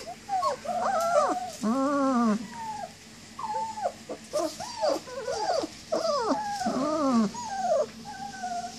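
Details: Litter of nineteen-day-old German Shepherd puppies whining for their mother while walking and playing: many overlapping high, arching whimpers and squeals in rapid succession, some rising then dropping, with brief pauses and soft background noise.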